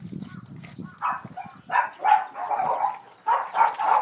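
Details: Rose, a Boston Terrier, wildly excited while playing with a ball: low snuffling grunts at first, then a run of throaty, whining yelps in short bursts, some bursts longer and wavering.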